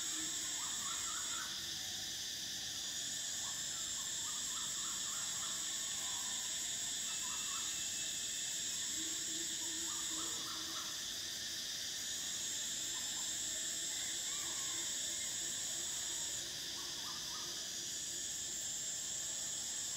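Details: Summer cicadas give a shrill, sustained high drone in long phrases, dropping out briefly every few seconds before starting again. Short bursts of softer chirping notes repeat beneath.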